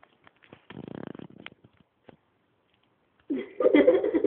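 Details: Dog named Kyubi, called ferocious, trying to attack: a quick burst of pulsed rasping, a short pause, then a loud, harsh, tonal outburst that fills the final second.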